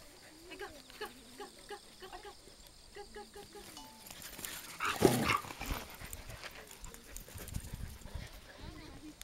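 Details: Border Collie giving a quick run of short, high whimpering yelps, roughly three a second with slightly rising pitch, for the first few seconds, then a loud rustling burst and murmured human voices.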